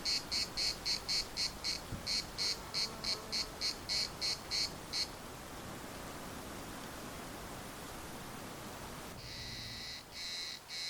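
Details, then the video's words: Cicadas singing in the municipal park of Larnaca: a buzzy, rasping pulse repeated about two to three times a second for five seconds, a pause with only a soft background hiss, then the pulsing chorus starting up again. "CICADAS at the municipal Park Larnaca"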